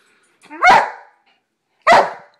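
A Rottweiler gives two deep, hoarse barks about a second apart, answering a spoken command to speak.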